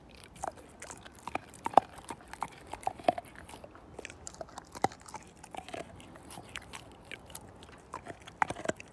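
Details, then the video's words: Slim, a Siberian Husky, tearing apart a bone. Steady bouts of crisp cracking and crunching come roughly every second, with several louder snaps of teeth against bone over a quiet background. "My Husky Tear This Bone Down To Nothing!"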